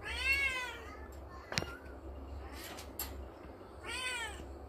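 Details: Cute little kitten playing and climbing in the morning, giving two clear, high, arching meows, one at the start and one near the end, with knocks and rustling from play in between.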